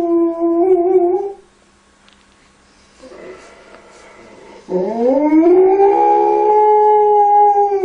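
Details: Alaskan Malamute dog comforting a crying baby: a short steady howl, a quiet gap with faint background noise, then a long howl that slides upward and holds a level, tonal pitch to the end.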